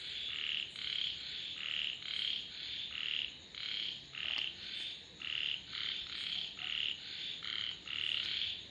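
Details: Frogs croaking together in rhythmic, buzzy high bursts, short pulses repeating about twice a second, with a single sharp click near the middle and a faint constant hiss.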